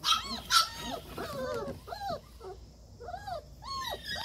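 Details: German Shepherd puppies give high yelps, then slower drawn-out whines with brief gaps between them.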